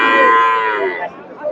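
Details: Cow with her calf at a cattle market, just sold: a loud, long harmonic moo held steady for about a second, then falling and fading, followed by a shorter, quieter lowing, with crowd noise behind.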